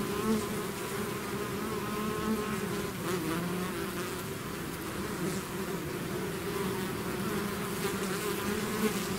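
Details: Bee swarm leaving its hive: an unbroken, even buzzing drone from many insects, layered low hum with faint flickers of wingbeats higher up.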